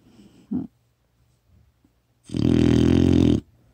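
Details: Four-month-old female retriever puppy Kkotsuni asleep and snoring hard, captured by phone: a faint short snort, a quiet pause, then one long, coarse, rattling snore.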